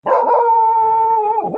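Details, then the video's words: A dog gives one steady, drawn-out howling whine, an even held tone with bright overtones lasting about a second and a half, wavering slightly as it starts and again as it trails off. "10 weird dog sounds"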